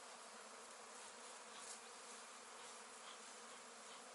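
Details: Honey bees from a newly started beekeeping hobby, an unbroken, level buzzing drone, rich and hissy across the upper range, with no other distinct sounds.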